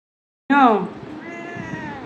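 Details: Domestic cat recovering after being neutered gives one loud, falling meow rich in overtones after silence, trailing into a softer drawn-out tone with faint speech behind it.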